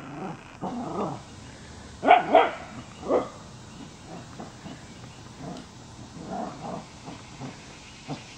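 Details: Rescued female Wire Fox Terrier from a puppy mill, playing with a pack of dogs in her foster home; a few sharp, bright barks come around the two-to-three second mark, two close together then one more, with softer yips and low rumbles before and after.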